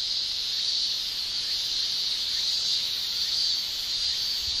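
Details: Steady shrilling from male cicadas on a Japanese summer day, a bright, hissing high drone made by their tymbals, even and unbroken from start to end.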